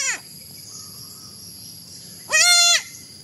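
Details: Kid goat lets out one loud, steady, harmonic bleat lasting under half a second after a cut-off cry at the start, with quiet hiss between calls.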